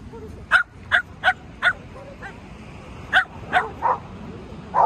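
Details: Shetland Sheepdog barking during ball play with a man: sharp, short yips in two bursts, four quick barks, a pause, then four more, with a faint bark in the gap and a quiet background.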